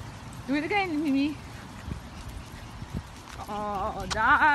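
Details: French Bulldog puppy named Mimi, urged to do it again, gives wavering, whining howls with a steady harmonic tone in two bouts, the second rising and lasting longer, between a person's talk and soft thuds.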